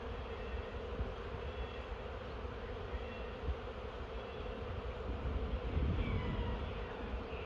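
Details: Honey bees of a swarm moving down into a new hive: constant, thick low buzzing hum that swells slightly toward the end, with faint chirps of birds in the background.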